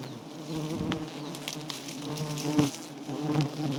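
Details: Wild giant honey bees around a small nest that is being cut, Thailand; a steady, deep humming drone with layered harmonics continues throughout, rising slightly near the end, with faint knocks and rustling from handling.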